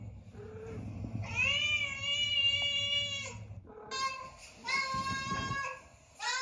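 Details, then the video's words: Two long, flat, steady cat calls, each held for about two seconds, with a low rumbling background hum under the first. "Meows to ATTRACT Cats (Meow Sounds to Attract Cats)"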